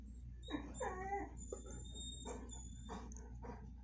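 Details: Pet dog, a Bull Mastiff or a Vizsla, whimpering while greeting a visiting friend indoors: a few high, wavering whines that bend up and down over about a second, then shorter soft whimpers, with a faint steady hum behind.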